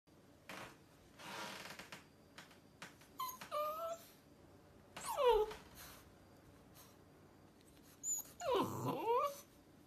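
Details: On its first day home, a Rottweiler puppy placed on a counter whines in high, wavering, falling cries, pleading to be lifted down.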